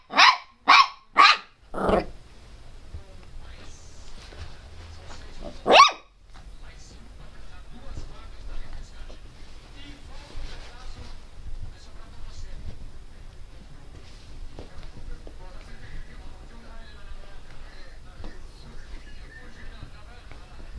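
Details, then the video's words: Pinscher dog Teco lets out four quick high barks and one more a few seconds later, followed by a long stretch of low background noise and faint murmuring. "pinscher latindo bravo - pinscher latindo alto - cachorro pinscher latindo"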